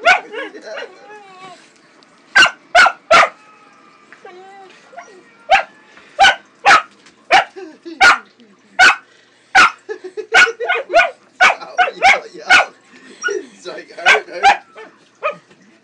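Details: Pug barking while a cat attacks her tail as she wiggles it; short, sharp barks in irregular bursts, about twenty across the stretch, with a person talking between them.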